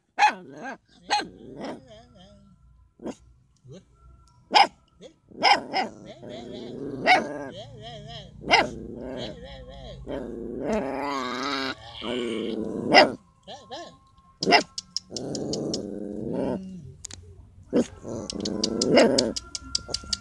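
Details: Puppies barking loudly at a person they do not like; sharp barks come in scattered single shots and rapid runs, mixed with whining and growly moans, while a human voice talks over the middle stretch.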